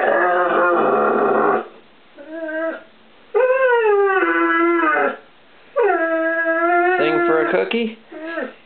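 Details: Ozzy the English Setter puppy, one year old, cries out for treats in a home kitchen: drawn-out howling whines about a second or two long, some sliding downward, with brief yips between.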